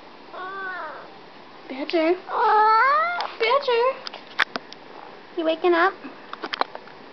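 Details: A pet cat just after waking up gives a string of sleepy chirping meows, short rising-falling harmonic calls in quick succession, with clicks and rustling around them in a quiet room.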